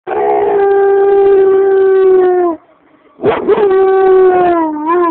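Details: Pet German Shepherd howling in response to police sirens, as if sounding its own siren to warn its owner: two long, steady, tonal howls with rich harmonics, the first about two and a half seconds, a short silent gap, then a second howl that wavers and falls at the end.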